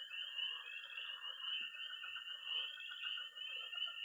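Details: Night frog and toad chorus at a pond in Missouri in early spring: a dense, continuous high peeping wall with pulsing shimmer, a steady thin trill beneath, and scattered softer mid-pitched croaks throughout.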